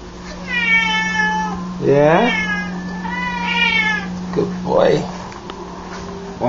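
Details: Male F4 Chausie cat playing fetch indoors with a foil ball meows twice in long wavering tones, while a man praises and calls him between the cries, with a low hum underneath.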